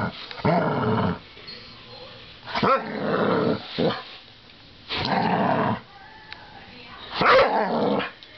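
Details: Playful American Staffordshire Terrier fighting a coat hanger: rough growls lasting about a second, repeated several times, ending in a sharp bark.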